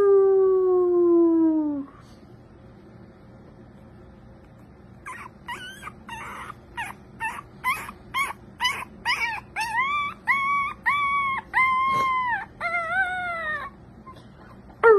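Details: An American Cocker Spaniel gives a drawn-out, downward-sliding howl, then a run of higher, arched yipping notes.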